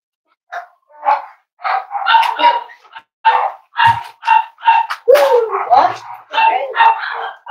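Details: Cavalier King Charles Spaniel puppies playing with each other and exploring indoors, giving a rapid run of high yips and squeaky barks, roughly two per second, with whiny rising and falling cries between them.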